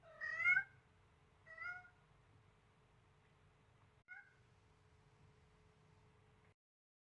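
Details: Siamese kitten Selena, seven weeks old with blue eyes, meowing as she plays with a baby duck: one loud rich meow, a quieter second a second later, then a brief faint third, followed by near-silence.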